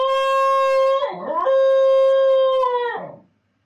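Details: A Basenji left alone after its owner leaves gives a loud, sustained, steady-pitched howl lasting about three seconds, with a brief warbling dip partway through before it fades out.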